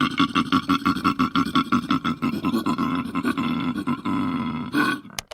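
A koala bellows in a fast run of deep, rasping, snore-like grunts, about three per second, ending in a drawn-out roaring exhale.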